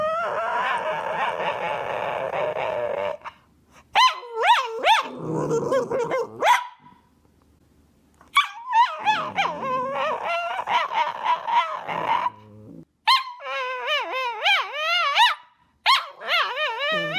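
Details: Domestic dog "talking" to its owner: long moaning whines, then bursts of yodelling, warbling howls that bend up and down in pitch, broken by short pauses, with faint background sounds between phrases.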